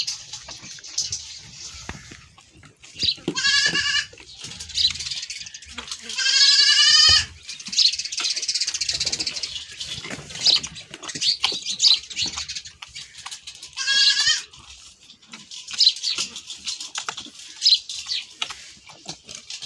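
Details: After milking, a goat runs off bleating: several short trembling bleats, the loudest around seven seconds, another near fourteen seconds, with steady rustling and clattering in between.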